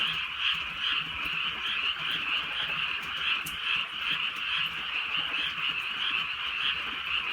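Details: Frogs calling in chorus on a drizzly night in the countryside. Dense, fast-pulsing croaks form one unbroken trilling wall of sound, with a brief sharp tick midway and soft rainfall in the background.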